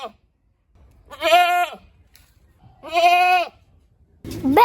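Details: Goat bleating twice in short, quavering bursts about a second and a half apart, with the onset of a third higher, rising cry at the end.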